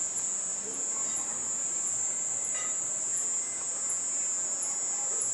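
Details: At nightfall in a garden where bats fly, a cicada sings a continuous, piercing high buzz at one pitch, with faint, evenly spaced ticks above it and a soft night hiss.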